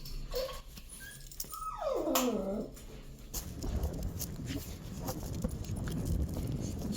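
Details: Simkong the dog, out on a first walk that is a trip to the vet, lets out two brief high whimpers and then a long whine that slides steadily downward. Footsteps and rustling follow.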